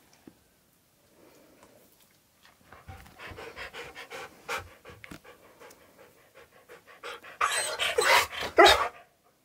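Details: A pet Husky panting in quick, rhythmic breathy puffs, nearly two per second, growing louder and more forceful, ending in a harsh, loud burst of breath noise.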